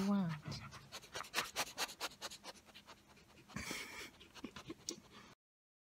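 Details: Great Pyrenees dog indoors, gently stroking its owner's hair; rapid breathy panting bursts repeat steadily through most of the stretch, with a low voiced sound at the start and a louder rustle near the middle.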